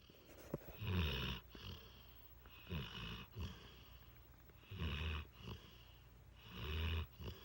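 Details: Trucker, a mastiff mix dog, snoring while lying on a lap indoors: four deep, rumbling low snores with breathy hiss, one about every two seconds, with quiet pauses between breaths.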